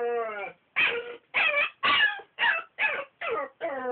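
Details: Belgian Malinois puppy protesting at having to sleep in his crate: a drawn-out tonal whine followed by seven rapid harsh yips, roughly two per second, in a quiet room.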